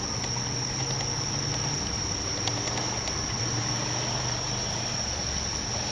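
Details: American bullfrog calling at Sugatami Pond among irises: a low, droning hum held in two long stretches of about two and three seconds, under a steady high insect trill that runs throughout.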